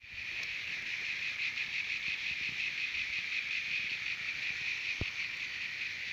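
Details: Singing cicadas at Terek-Sai, Jalal-Abad region, Kyrgyzstan: a dense, unbroken high-pitched buzzing drone with a faint rapid pulsing texture throughout, and a few soft clicks and knocks in the background.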